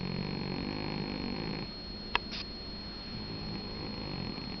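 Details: Domestic cat snoring while asleep, a steady, coarse, low drone running almost the whole time, slightly softer after the first breath, with one or two small clicks and a brief sniff.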